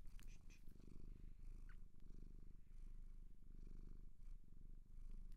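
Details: Cat taken in from a Japanese shelter gives a strong, even purr, a low buzzing rumble that swells and eases in slow waves, with only faint rustling in the background.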